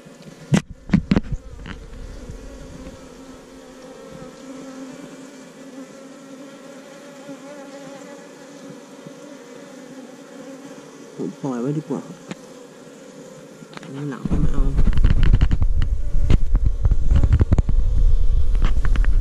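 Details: Asian honey bees nesting in a cavity beneath a hut, disturbed while the nest is dug out: a steady, strong, low buzzing drone with a brief wavering swell, broken by clattering knocks, then loud rough scraping and rustling over the final seconds.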